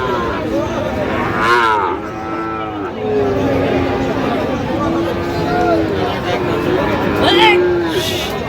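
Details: Sahiwal cattle at a livestock market in Natore on 31 December 2025, where a Sahiwal bull is being bought: drawn-out, harmonic moos, some wavering and some falling, over a steady din of crowd voices and market chatter.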